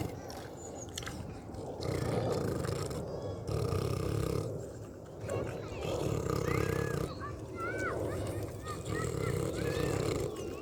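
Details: Pig eating and snoring in a continuous low, grating rumble that swells and fades in long breaths. Several high, bent squeaks rise above it near the end.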